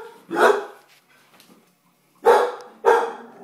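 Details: A pet English Bull Terrier indoors barking at horse and carriage noise on television to see off intruders: one loud bark, a pause, then two more barks about half a second apart.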